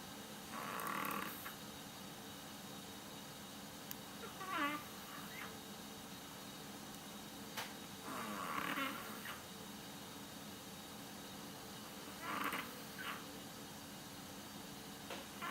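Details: Sleeping Yorkshire Terrier snores, compared to a tiny old man. Raspy, noisy snore bursts recur every three to four seconds, some with a faint whistling edge, against a quiet indoor background hum.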